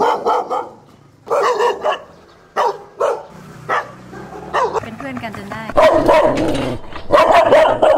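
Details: Neighbourhood dogs of several breeds, one at each house along a Thai soi, barking loudly at a passing dog on its walk as if welcoming it; repeated harsh bark bursts, some overlapping, with a woman talking and background music.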